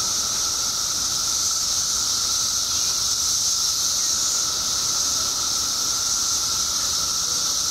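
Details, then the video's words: A mass emergence of periodical cicadas in Illinois, out after 17 years underground, produces a constant wall of insect noise: a shimmering high-pitched hiss and a steady mid-pitched buzz running without a break throughout. "Cicadas Making Noise"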